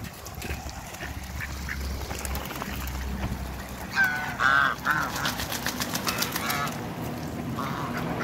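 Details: A pair of mallard ducks at a waterbird farm in Skydra, Greece: a loud burst of harsh, nasal quacking calls from about four to five seconds, with fainter calls later over steady background noise.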